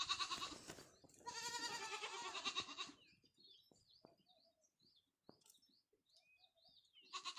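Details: Goat on a farm giving long quavering bleats, one brief and one drawn out over nearly two seconds, followed by quieter high chirping sounds in the background and a final bleat starting at the end.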